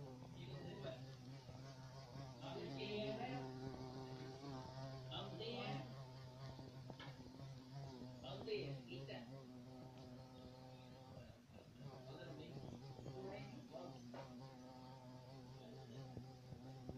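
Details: A black carpenter bee (Xylocopa violacea), large, hairy and black with blue-violet wing sheen, gives a steady, low droning buzz, with a person talking over it.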